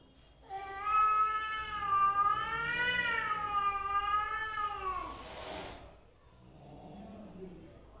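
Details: Mother and daughter cats of one cat family face off in a long, wavering, drawn-out yowl that rises and falls for about four seconds, breaks into a breathy hiss, then fades to a low, quieter growl.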